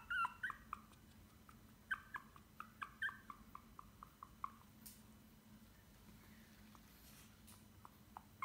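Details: White Pomeranian puppy named Glory at a kennel in Chelyabinsk, giving a run of short, high whimpering yelps, about a dozen packed into the first five seconds, then a few softer, sparser ones over a steady low indoor hum.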